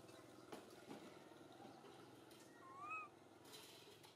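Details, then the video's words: Young monkey MoMo in a park calling out to mother Malika with a single clear, arched whistle-like coo that swells and then drops away, following soft taps and outdoor background noise. "Little MoMo try calling mom Malika in the Park"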